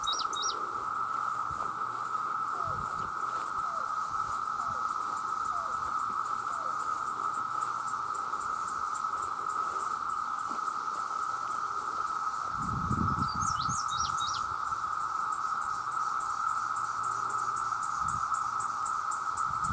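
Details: A huge chorus of male cicadas calling for mates forms a steady, loud, even drone that holds throughout. Brief high bird chirps come in near the start and the middle, and low rumbles pass underneath.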